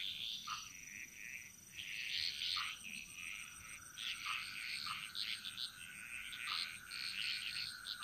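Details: Many frogs chorus in a Balinese jungle, clusters of crackling, chirping calls rising and falling every few seconds, with scattered short low downward notes and a continuous high-pitched whine underneath.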